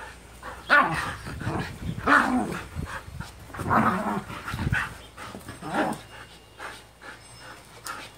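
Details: A Husky and her younger Japanese Spitz/Pomeranian mix sister wrestle in play, giving irregular bursts of snarling growls and short barks roughly every second or two, with shuffling between outbursts.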